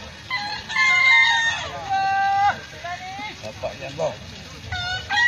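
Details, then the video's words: Bekisar roosters competing in a crowing contest final in Solo, Indonesia, May 2017: a bright sustained crow with several harmonics, then shorter broken crows overlapping, over a steady low crowd rumble. "Lomba Seni Suara Ayam Bekisar"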